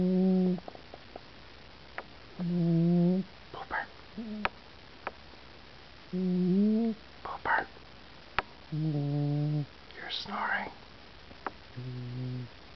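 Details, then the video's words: Pooper, a sleeping cat, snoring indoors on 16 June 2009: tonal, buzzy snores about two to three seconds apart, each under a second long, with soft whispered hisses and sharp clicks between them. "Pooper Snoring"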